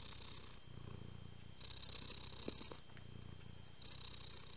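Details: A female house cat purring close up, a low rumbling throb that swells and fades with each breath, with a faint brief click partway through.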